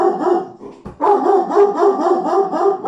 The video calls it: German Shepherd Barking